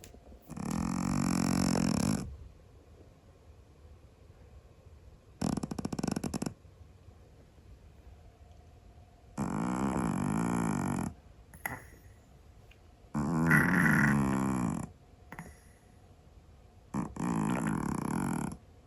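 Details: Loud snoring from a Scottish Fold cat asleep indoors: five rough, rattling breaths of one to two seconds each, spaced irregularly, with short silent gaps between them.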